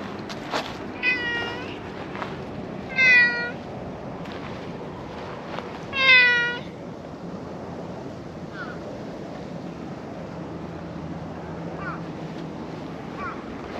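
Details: Black-and-white, panda-like stray cat behind a park shed greets a visitor with three clear, rising-falling meows near one, three and six seconds, then a couple of faint softer mews, over a quiet outdoor background.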